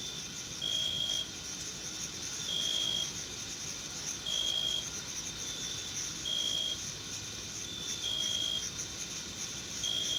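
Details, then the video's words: June meadow crickets chirping: clear, even bursts of a thin high tone about every two seconds, each with a faint lower echo, set against a constant sizzling insect chorus. "Sounds of Summer: Sleep and Relaxation Nature Sounds, Crickets, and Insects - A meadow in June"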